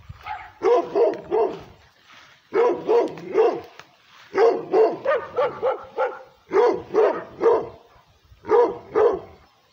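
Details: Female pit bull mixed with Redbone Coonhound barking aggressively at the camera held toward her: loud, harsh barks in tight bursts of three to five, each burst separated by roughly a second of quiet.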